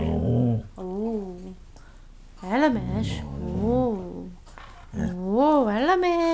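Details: Siberian huskies playing and singing; several wavering, rising-and-falling howls in separate phrases, mixed with rough growling noises and some background voice.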